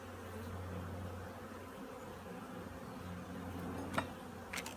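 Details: Colony of honey bees readying for winter at an apiary; an even, murmuring buzz fills the recording over a deep steady hum, with a brief tap near the end.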